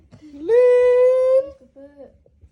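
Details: Plaintive call of a baby monkey that wants to hug a boy: a low sliding whimper swells into a loud, level, sustained wail of nearly a second, trailing off into brief softer notes.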